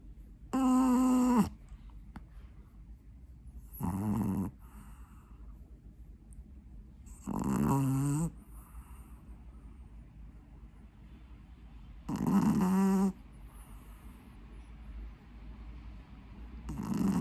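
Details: An eight-month-old Pekingese snores while asleep, with loud buzzy, nasal rumbling breaths of about a second each, coming roughly every four seconds, and a hushed indoor stillness between them.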